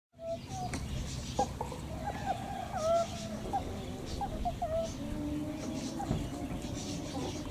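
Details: Meerkats filmed on a trip in the Eifel, giving short tonal chirps and brief rising and falling whistles scattered through the clip, over a steady low rumble of background noise.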